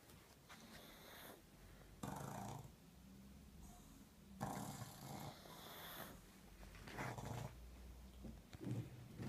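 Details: Born-blind pug snoring very loudly with eyes open, alongside a 10-year-old black pug. Rough, rattling snorts swell and fade in repeated breaths roughly every two seconds, with wheezy hissing between them.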